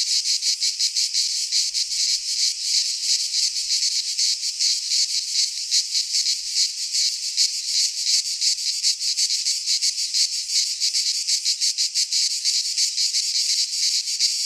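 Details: Cicadas singing in midsummer in a Greek pine forest: a dense, continuous buzzing chorus, high and hissing, pulsing rapidly about three times a second without pause; no other sounds stand out.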